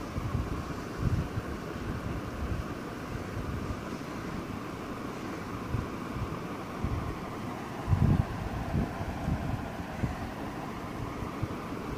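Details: Steady low rumble of wind buffeting the microphone, with no animal voice. A few louder gusts or bumps break through, around the eighth second especially.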